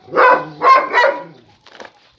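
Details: Kangal sheepdog at a village flock in Eskişehir, Turkey, where female Yıldız and young male Yaban are getting acquainted: three loud, full barks in about a second, then quiet with faint rustling.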